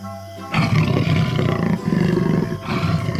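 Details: Jaguar roaring in a deep, rough, sustained growl that starts abruptly after a moment of music and rolls on with slight pulsing for nearly three seconds, with background music underneath.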